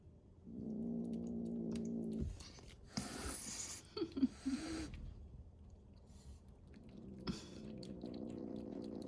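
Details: Rescued kitten at a Japanese adoption shelter cat café, one of a group known for threat hissing: a low droning growl for about two seconds, then a harsh breathy hiss burst, followed by short sharp spits and handling noise.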